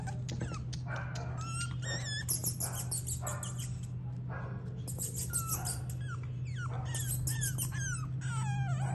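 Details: Male and female French bulldog puppies from Haldwani, Uttarakhand, whimper and yip in quick, uneven bursts: thin rising and falling whines mixed with sharper squeaks, against a constant low hum, as if indoors.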